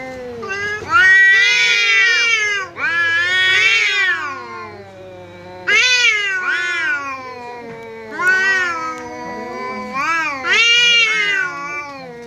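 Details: Pet cat squaring off against a visiting cat, fighting with its voice; loud rising-and-falling caterwauls come in bursts roughly every two seconds, each one swelling to a shrill peak before sagging into a growling moan.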